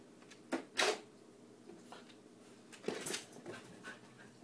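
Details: Miku, a young Siberian Husky, playing and talking indoors: two short, sharp yelping vocal bursts in quick succession early on, then a second cluster of brief yips later, with quiet room noise between.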